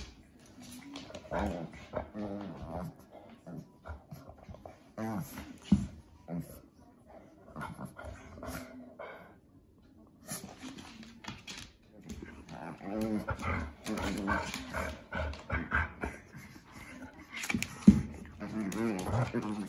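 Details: Two pet dogs, a Shih Tzu/Pekingese mix and a German Shorthaired Pointer, play fighting indoors out of jealousy over affection; low rumbling growls and whimpers come in irregular bursts, with some human speech in the background.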